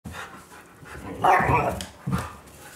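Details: Siberian Husky, male born 2010 or female born 2013, gives a drawn-out, wavering vocal whine, begging for its food before mealtime.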